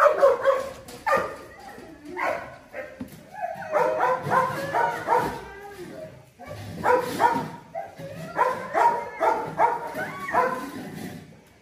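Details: Presa Canario named Whirlwind (旋风), a very thin dog being given medicine by its owner, lets out clustered bursts of short, harmonic barks and yelps in quick runs with brief pauses between them, alongside faint human voices.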